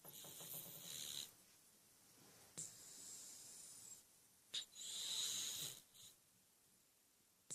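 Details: Sleeping domestic cat snoring: breathy, hissing snore bursts with a faint low pulsed rasp in the first second, followed by quieter intervals and a few sharp airy snorts.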